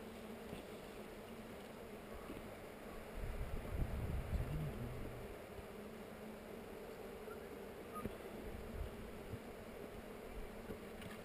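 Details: Honey bees on heather during a hive inspection filmed with a GoPro: a steady low droning hum runs throughout, swelling briefly in the middle, with faint handling noise.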